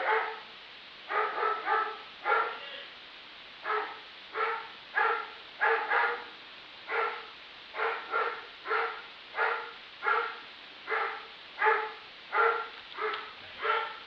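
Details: Neighbor's dog barking nonstop, said to bark 63 times in one minute: a rapid, steady run of about two dozen sharp, mid-pitched barks, each short and harsh, spaced under a second apart, with quiet background between them.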